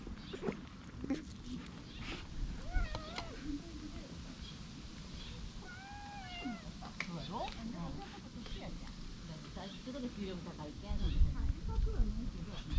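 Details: Fluffy brown tabby cat, a stray, rolling over to show its belly as if asking to have debris picked off; several short rising-falling meows with clear harmonics around the middle, over outdoor rustling and low background noise.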